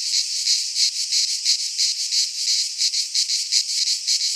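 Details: Chorus of cicadas in a Greek pine forest in midsummer, a shrill, steady hiss that swells and dips in quick regular beats, nearly three per second, with no other sounds.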